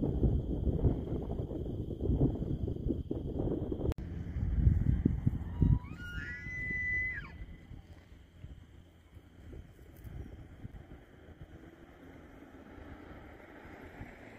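An elk gives a brief, high, whistled squeal that rises and then drops, over a low wind-like rumble.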